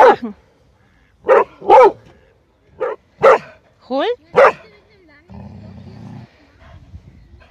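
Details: Airedale Terrier at a kennel in Vienna, Austria, playing football in a pond, gives a series of short sharp barks, about six spaced unevenly over five seconds. Some are paired, with a rising-falling whine between them, followed by a low rumbling noise.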